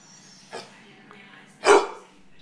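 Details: Pet dog at home, coaxed by a person to talk, answers with a faint short yelp and then one loud, sharp bark, over a low steady hum.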